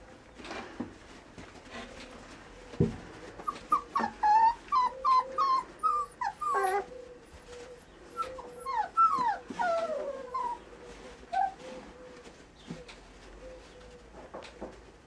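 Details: Border Collie offered for sale, whining and yipping in a long excited run of high, wavering, repeated cries, some rising then falling, interspersed with a low steady whine and occasional knocks.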